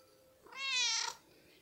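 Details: Pet cat meowing during the feeding routine in a multi-cat household: a single loud, rich meow lasting about half a second, rising then easing off, with a quiet room before and after.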